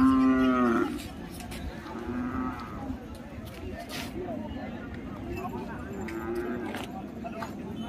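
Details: Cattle at the Belhe bullock market in Junnar, Pune district, where calves for racing are traded. A loud, harmonic moo opens, followed by fainter moos and lowing over a steady murmur of crowd noise and scattered clatter.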